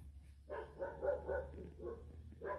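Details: Doberman dog following commands, giving a few short, mid-pitched barks and yips in bursts around half a second to two and a half seconds, with a quiet low hum underneath.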